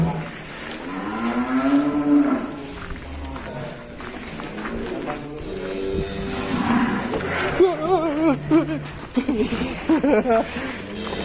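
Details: Black Angus bull, about five years old, leaving its pen in Indonesia; two loud drawn-out moos, a rising and falling bellow early and wavering, tremulous lows later, over people's voices and background music.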